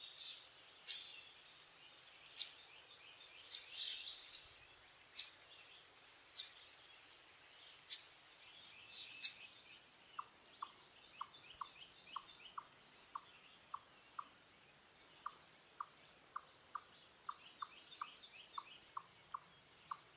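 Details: Sharp clicks and rustles come first, then an Eastern chipmunk (Tamias striatus) gives quick, evenly spaced chips about twice a second as a repeated alarm call, with faint high bird notes behind. Elsewhere it is stuffing its cheeks with nuts.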